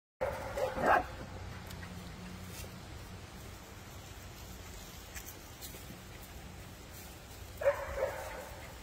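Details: Puppies at play give two short, yappy barks, one burst near the start and another near the end, with a steady low hum and quiet background noise in the long gap between them.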